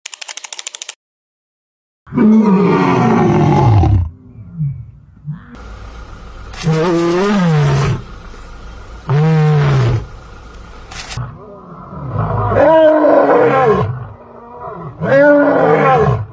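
A lion gives a series of deep, rumbling roars that rise and fall, repeated every few seconds.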